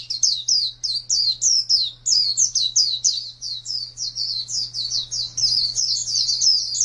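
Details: White-eye kept as a champion contest bird, producing quick high chirps that build into a denser, faster warbled trill toward the end, over a steady low hum.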